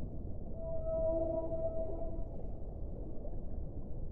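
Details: Whale song with one mid-pitched, level, tonal wail and stacked overtones, lasting under two seconds before fading into a low, continuous water rumble.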